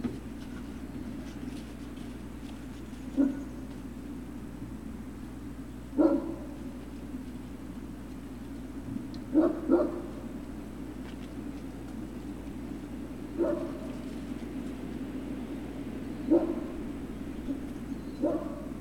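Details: Great Dane puppies at Puppy Hill on 3 June 2019. Short, high yelps ring out one at a time every three seconds or so, six in all, with a steady low hum running underneath.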